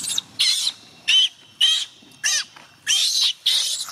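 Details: Chimpanzee youngster Gina wailing so her carer will not go home: seven loud, raspy shrieks in four seconds, each burst short and harsh, separated by brief quiet gaps.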